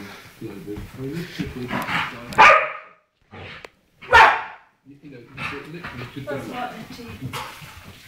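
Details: Pet dog Shady in his nightly mad minute, giving two loud, harsh barks about two seconds apart, separated by brief silence, while a person talks calmly before and after.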